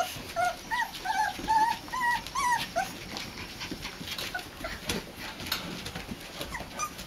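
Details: Boxer puppies, four weeks old, a litter in a pen on a front porch during their first time there, giving short rising whimpers and squeaks in quick irregular runs, with background rustling and clatter.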